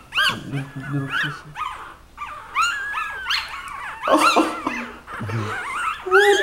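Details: Mother dog with her puppies, heard during play described as wrestling: high, whiny puppy whimpers and yelps in uneven bursts, some rising then falling, with a person's voice talking over them.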